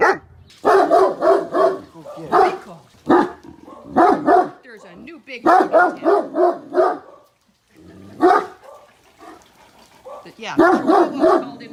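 A Great Dane gives deep, strange barks in quick bursts, mixed with a person's voice.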